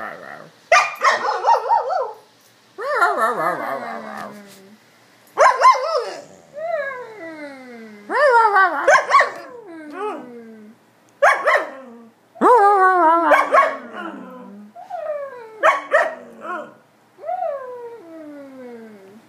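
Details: An Alaskan Malamute talks with its people in a run of drawn-out, wavering woo-woo sounds that slide downward, getting fairly loud.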